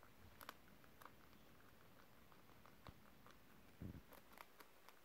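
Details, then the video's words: Pet guinea pigs indoors nibbling crispy beetroot pieces, recorded December 30, 2023: quiet, irregular crunchy clicks and snaps of chewing, with a louder muffled rustle near the end of the clip. "Crispy, crispy... guinea pigs ASMR"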